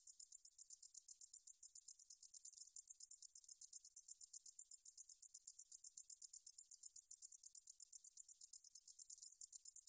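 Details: Unbroken shrill song of a meadow katydid (등줄어리쌕쌔기), archived in 2020 by Korea's National Institute of Biological Resources. Steady sizzling pulses repeat rapidly and evenly for the full ten seconds, with nothing else audible.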